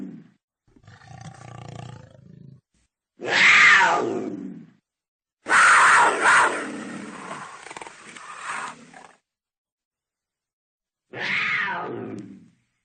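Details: Cougar roaring: four separate harsh, rasping bursts, each one to three seconds long and broad in tone with a bright, strained middle. The loudest come around the fourth and sixth seconds, with short silences between them.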